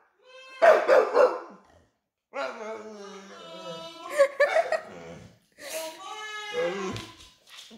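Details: A dog howls in drawn-out, wavering tones, broken into several long phrases with short pauses; this howling happens daily, apparently when mama is away.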